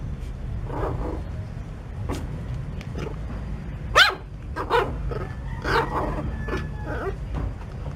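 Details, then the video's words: Puppy giving a few short, gruff barks, the strongest near the middle and two more a second apart, over a steady low rumble of background noise. "Cute Puppies Barking"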